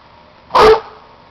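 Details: Cuci, a roughly two-year-old, 65-pound male Plott and German Shorthair Pointer mix, gives a single loud, sharp bark indoors, with a faint steady hum underneath.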